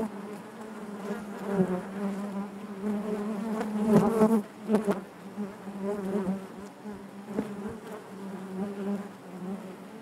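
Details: Dense honey bee hum within the hive, a low steady drone rich in overtones, growing louder around the middle as bees crowd close, then settling back to a constant murmur.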